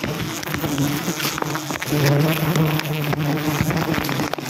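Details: A wild honey harvest disturbs forest honey bees. They give a dense low buzz that swells in the middle, over faint speech, music and crackling movement.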